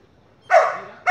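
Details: Female Border Collie in an obedience training session, full of energy; one harsh bark that trails off, then the start of a second bark right after it.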